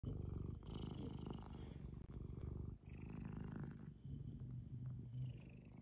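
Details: Domestic cat purring close up indoors, a deep rapid rumbling pulse that swells and dips with each breath, broken by short pauses for inhaling.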